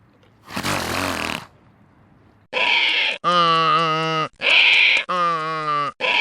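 A donkey brays, alternating rough wheezy intakes with loud, harsh, honking notes in a see-sawing rhythm.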